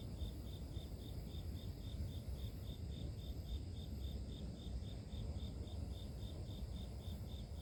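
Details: Cricket chirps used as a sleep sound from pure nature, a thin high pulse ticking regularly around four times a second, layered over constant low-pitched environmental noise.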